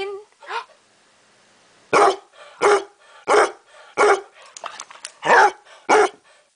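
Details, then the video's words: Basset hound barking indoors in a quiet room: loud, gruff barks repeated about every two-thirds of a second, seven in a row after a brief soft whine at the start. "the Barking Basset"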